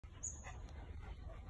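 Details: A Rottweiler keeping watch in the backyard gives one brief, rough bark against a steady low outdoor rumble, with a faint high, thin whistling tone just before it.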